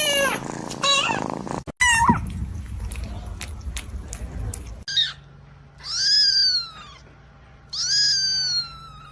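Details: Kitten calls: a noisy, cluttered opening with rustling, then three separate high meows, each rising and falling in pitch, with quiet hum between them.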